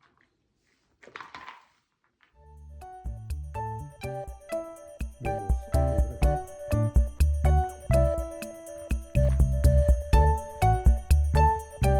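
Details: After a short rustle and near-silence, a bright tinkling jingle with a rhythmic bass starts and beats about twice a second to the end, and no animal sound is heard.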